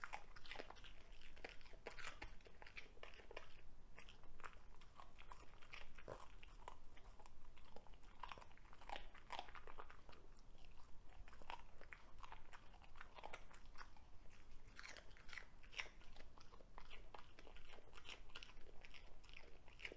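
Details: Indoor recording of a Cavalier King Charles Spaniel, Ludwig, devouring a broccoli stalk; a long run of dense, crackling crunches and chomps with brief pauses between mouthfuls.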